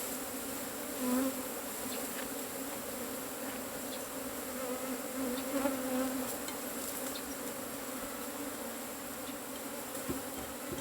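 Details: Cavity-nesting Asian honey bees humming continuously as their hive is taken, a dense, level buzz that swells slightly around the middle, with scattered light taps.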